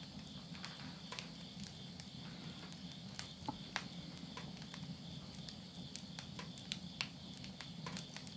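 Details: Countryside insects at midnight in late summer, September 2020, Yurihama, Tottori, Japan. They keep up an unbroken high-pitched ringing hum. Frequent loud snaps and crackling from a wood fire in a stove cut through it.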